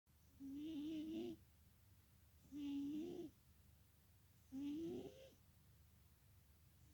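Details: Sleeping cat snoring loudly: three drawn-out, rising, slightly nasal snores, each about a second long, repeating roughly every two seconds with quiet breaths between, in a still indoor setting.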